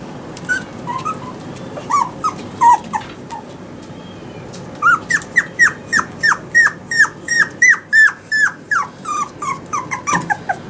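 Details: Toy Poodle male puppy, born August 2019, at a pet shop in Yokosuka, Kanagawa, Japan. It gives a few scattered whimpers, then a fast run of short, high, downward-sliding yips, roughly three per second, in a small room.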